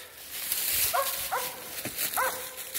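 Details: Mountain Cur pups in training, three quick high yips with clear harmonic tones within a few seconds, over steady rustling outdoor noise.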